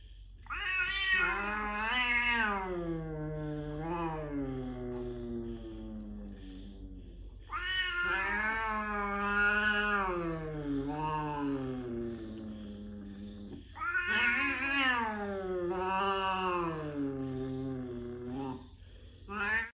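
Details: A small cat with a surprisingly loud voice: long, drawn-out wailing meows, rising then falling, in three bouts about six seconds apart, each with wavering pitch, in a quiet room.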